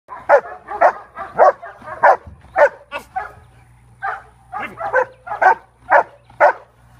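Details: A dog barks repeatedly, about fifteen short, mid-pitched barks in seven seconds, coming in uneven bursts with a brief pause near the middle; a faint low hum runs underneath.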